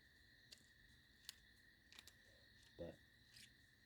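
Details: Crickets give a steady, high, ringing trill through the night air alongside tree frogs, recorded outdoors in the countryside while black walnut dye simmers.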